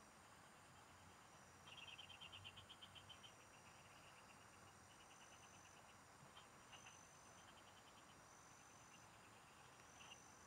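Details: Frogs singing in the fields, recorded while fishing: short trains of rapid, evenly spaced high clicking notes come in bursts of a second or so, over a steady thin insect whine and a low rural hum.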